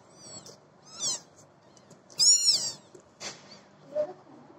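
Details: Cat giving short high meows, two brighter calls around the middle, with faint rustling and a few soft chirpy sounds between them.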